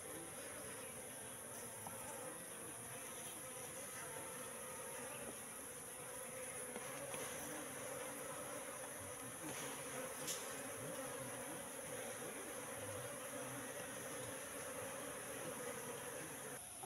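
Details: Continuous massed humming of a wild Apis cerana colony in a three-month-old trap box, a steady droning buzz with small flickering pulses and a few faint clicks.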